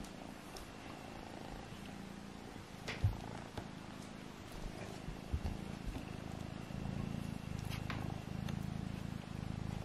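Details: Kittens Alfonso and Amur tussling at home; a low vibrating purr strengthens and thickens toward the end, with an early knock and occasional faint clicks.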